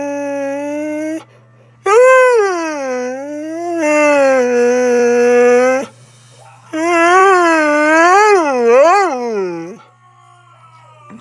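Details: A chatty pet husky that loves to talk: three long, sung, howl-like vocal phrases with wavering, bending pitch, the last swooping up and down repeatedly, separated by short pauses; a steady low electrical hum and a man's voice afterward.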